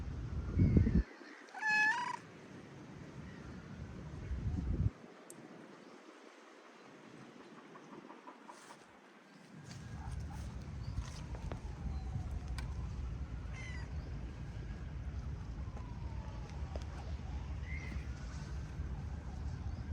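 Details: Stray cats outdoors in rainy weather: one short bright meow near two seconds, then faint scattered mews over a steady low hiss of rain.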